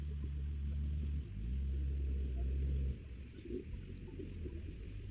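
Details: Organic, free-range Charolais crossbred cow on a mountain ruzi-grass pasture at Jirapanit farm, Pang Hin Fon, Mae Chaem, Chiang Mai. A long, low, resonant lowing fills the first three seconds with a brief break, then fades to field ambience and a thin insect whine.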